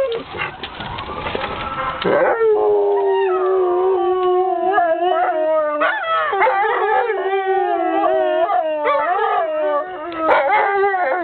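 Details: Two pet dogs in a sustained howl, long steady wailing tones held for several seconds with pitch dips and rises, voices overlapping, after a brief noisy burst at the start.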